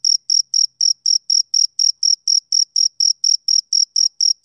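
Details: Summer-evening chirping from a male cricket: a continuous train of shrill, evenly spaced pulses, roughly four each second, steady in pitch and loudness, with no other sounds.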